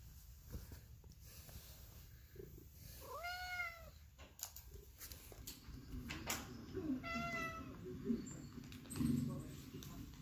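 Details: Domestic cat indoors while bird videos for cats play. It gives two clear tonal meows about four seconds apart, each rising then falling. Soft room noise and faint voices are in the background.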